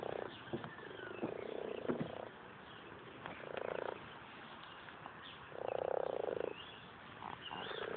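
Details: Many frogs gathered in a very small UK garden pond croak in a chorus, with low, rattling bursts that come and go every second or two.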